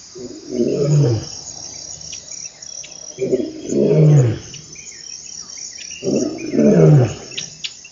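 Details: African bushveld lion producing a series of three deep, descending grunting roars spaced roughly three seconds apart, each a short swelling moan, while crickets chirp steadily in the background.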